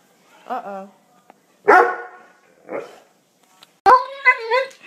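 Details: Doberman in a funny dog compilation giving a few short, separate cries: a soft whining yelp, a louder harsh bark-like outburst, a brief muffled yelp, then a drawn-out wavering whine, with quiet gaps between them.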